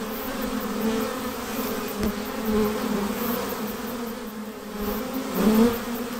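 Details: Honey bees in a swarm being hived, giving an even, unbroken buzzing hum at steady loudness, with a brief sharp click early and one louder nearby pass toward the end.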